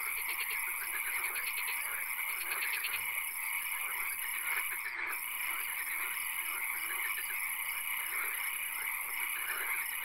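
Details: Frogs calling in a swamp at night, a dense chorus of rapid pulsed trills layered over steady high droning tones, with bursts of rattling calls repeating through the whole stretch.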